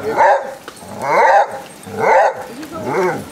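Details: Basset Hounds, part of a pack of fifteen walking four miles to the sea at Otterton in South Devon, give deep, harmonic, baying barks meaning come on, four in about three seconds at a steady pace of roughly one per second.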